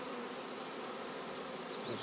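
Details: Honey bee swarm with its queen being merged into another colony: a thick, unbroken droning hum of many bees.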